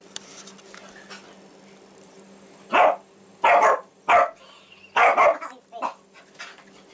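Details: Two dogs fighting, Molly the labradoodle and Casey, a six-year-old basset hound rescued from a puppy mill. Five loud, harsh bursts of barking and growling come at short uneven gaps. Faint speech and a low steady hum sit between them.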